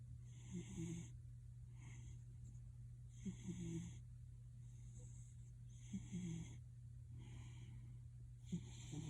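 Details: Pet cat Gildong, compared to a man snoring: rasping, breathy snores every three seconds or so, each with a hissy upper edge, over a steady low electrical hum.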